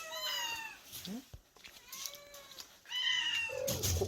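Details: Indoor scene at a small island-village cat shelter: Bomi, the cat with the pretty voice, meows three times in about four seconds, each call clear and slightly falling. Soft rustling sounds and a closing thump are also heard.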